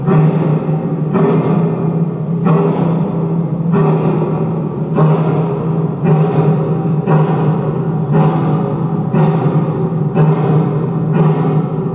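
Evenly spaced, drum-like thuds repeat about once a second over a steady low hum, with no animal voice.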